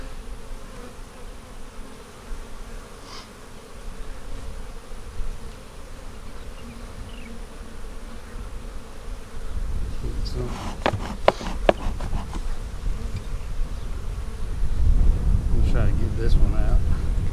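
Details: Honey bees in a split hive being inspected on April 15, 2017, working drone comb; continuous low hum beneath wind noise, then a burst of sharp clattering knocks and rising rumble as frames are moved.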